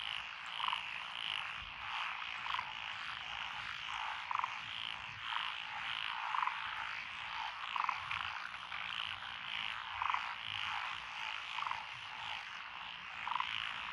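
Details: Frog chorus in lotus rice paddies along a country road in Echizen, Fukui Prefecture, Japan, recorded 12 June 2021; dense continuous croaking fills the air, with clearer pulsed calls standing out roughly every one to two seconds.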